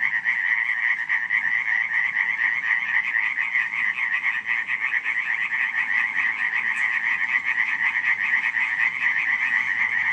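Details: July night at Radziszów, 2015: a thick chorus of frogs calling in unison, harsh rapid croaks merging into an even, throbbing rattle across the whole stretch, one brief high click near the end.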